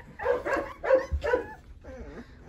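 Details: Eleven Rottweiler puppies being dewormed cry out from hunger and scramble for food. Three loud, tonal whining yelps come in quick succession, followed by a softer, wavering whimper.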